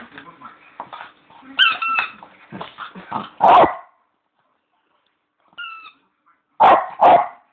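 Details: Leo, a pet Bichon, playing with his squeaky bone: a run of short yips and snuffles, then a loud bark, pause, a double toy squeak, and two more sharp barks close together.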